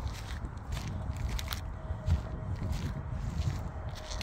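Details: Outdoor footsteps crunch steadily over a rough surface, with low rumbling handling noise and no animal voice.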